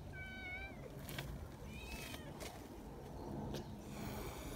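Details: Friendly community cats gathering in the mountains, two wavering meows in the first two seconds, the first longer, the second shorter, amid clicks, rustling and a low background hum.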